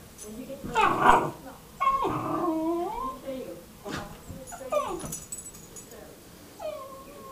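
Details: Normally quiet female pet dog barking and crying at the owner's brother for the first time; high, tonal whimpering cries that rise and fall, several drawn-out whines spaced a second or two apart, with a sharp yelp early on.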